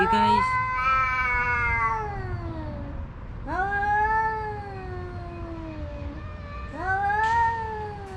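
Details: Rival stray tomcats, one a tuxedo, caterwauling over a female house cat without fighting physically; three long, sliding, nasal howls, each starting high and slowly dropping, separated by brief pauses, with faint background hum.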